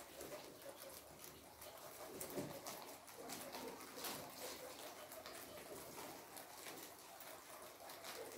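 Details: Guinea pigs munching kohlrabi with busy, close crunching and nibbling clicks, fast and uneven, a slightly louder bite early on, otherwise a quiet indoor setting.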